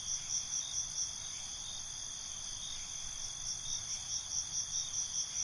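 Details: Crickets chirping at night, high shrill pulsed trills repeating in rapid bursts above a steady ringing chorus of insects.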